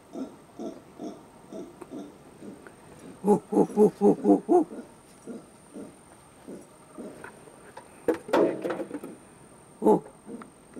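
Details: A lone howler monkey at the Cuero y Salado Wildlife Refuge gives deep, rhythmic grunting pulses, with people talking and clapping nearby.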